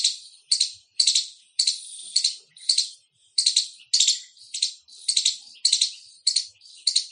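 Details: An Indian squirrel chirping loudly, harsh high chips running in quick doublets and short bursts, close together, against a still background.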